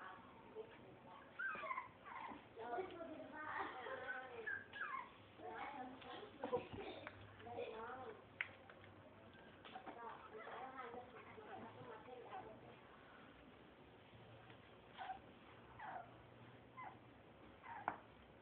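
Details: Three-week-old Blue Nose Pit Bull puppies from a litter called Nut and Honey, making many short high whimpers and squeaks in overlapping bursts, mixed with human voices in a small room.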